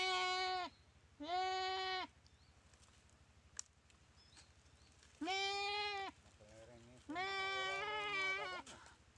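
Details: Goat paralysed by a Komodo dragon's bite and being eaten alive in a dry river at Komodo Village; four loud, drawn-out nasal bleats in two pairs, the last one wavering.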